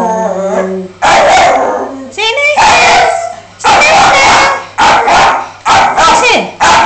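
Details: Snoop, a miniature dachshund, recorded on an Android phone: a high whine at the start, then loud bursts of sharp yips and barks in uneven clusters, with a person's voice shushing and giving commands nearby.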